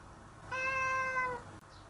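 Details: Playful house cat, once a stray and now living fully indoors, lets out a single smooth, level meow of nearly a second, tapering off at the close, with a hushed indoor background.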